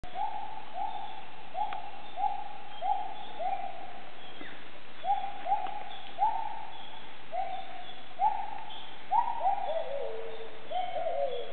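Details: Bornean gibbons calling in the treetops of the jungle at Maliau Basin, Sabah, Borneo, East Malaysia: a long series of hooting notes, each sliding up then down, repeating about twice a second, ending in a faster bubbling run.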